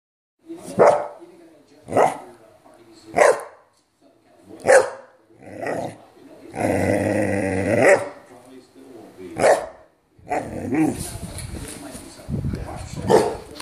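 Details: Soft-coated Wheaten Terrier barking: short, harsh barks repeated roughly every second, a drawn-out, tonal, whining howl in the middle, then rougher, noisier barking toward the end.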